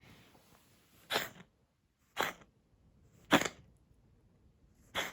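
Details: Brown tabby (kijitora) cat with asthma, recorded 27 February 2021, coughing indoors: four sharp, harsh broadband bursts about a second apart, each short and rasping, with quiet room tone between them.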